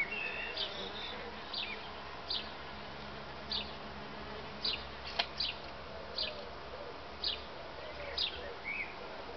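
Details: Solitary bees in busy activity without mating. A constant low drone is punctuated by regular brief clicks and a faint chirp near the end.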